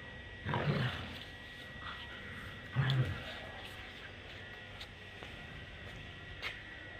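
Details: German Shepherd dog playing in Birgunj gives two low, rough growling bursts about two seconds apart, each under a second long, then quiet with faint background hum and a few soft clicks.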